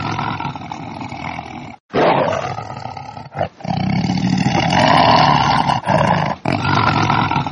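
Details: Lion. Several loud lion roars follow one another, each a rough, throaty bellow rich in low rumbling tones. Abrupt breaks split the bursts, and the roars rise and fade with a harsh, grating edge.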